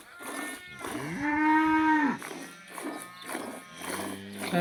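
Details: Cow in a village: after a soft rising lead-in, it gives a full, even moo of about one second that drops at the close. Low murmuring and background rustling fill the rest.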